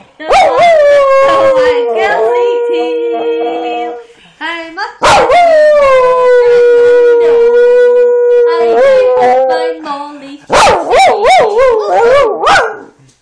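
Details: A pet dog singing her heart out in three long howls separated by short gaps, each sustained and slightly wavering, the last one breaking into quick warbling yips.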